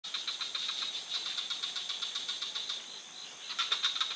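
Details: Frogs calling in a forest at night: rapid dry clicking pulses, about four per second, in uneven runs, over a steady high insect hum.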